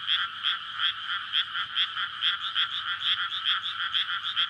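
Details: Dense frog chorus from a flooded rice paddy at night in May, just before rice planting, calling in courtship to breed; overlapping pulsed croaks with strong bands of tone, beating rhythmically about twice a second, continuous and loud, recorded on a PCM recorder.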